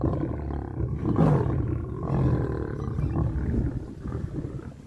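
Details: Male lion approaching a female lion to mate, heavy low growling roar swelling around the first second, then continuing rumbling snarls that slowly fade toward the end.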